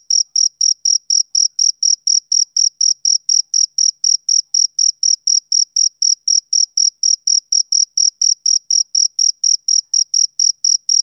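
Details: Steady high chirps from a male cricket, each pulse brief and ringing, repeating about four times per second without pause, against a silent background.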